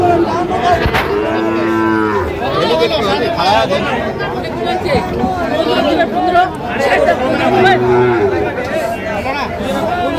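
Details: Sahiwal bull at a cattle market in Fulbari, 27 June 2025: two drawn-out, low, harmonic moos near the start and near the end, over steady crowd chatter and bargaining voices.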